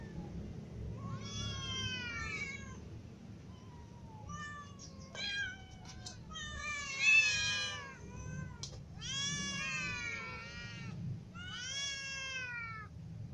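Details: Hungry cats, kittens and adults with a ginger cat among them, meow for food: overlapping, rapid harmonic meows, several voices calling almost continuously, some rising then falling, over a low steady hum.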